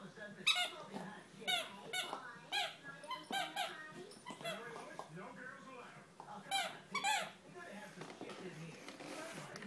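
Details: A Great Dane puppy, a female about 8 or 9 weeks old, gives high, squeaky whines in short repeated bursts while a person talks.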